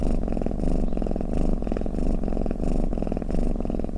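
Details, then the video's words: Domestic cat snoring and purring: a low, rumbling, rapidly pulsed drone rising and falling with each breath, about every half second, steady and close with no other sounds. "เสียงแมวคราง เสียงกรนของแมว | snoring cat"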